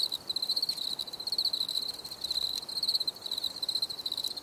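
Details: Crickets recorded in a natural setting for relaxation, a steady stream of rapid pulsed chirps held on one high pitch, overlapping in dense trains with brief gaps, a faint constant hiss beneath and no other clear sounds.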